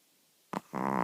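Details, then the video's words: Layla, a little old female Chihuahua, snoring while asleep at night, her snore starting slow and growing louder. One short snort, a brief pause, then a steady, buzzy, rattling snore with a rich harmonic drone. "Little dog snores like an old car without a muffler - starts slow, gets louder!"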